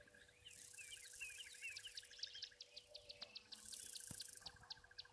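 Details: At an African waterhole on 31 December 2023, crickets keep up a steady, high pulsing trill under bursts of hissing buzz, while buffalo weavers, a long-tailed starling and a ring-necked dove call.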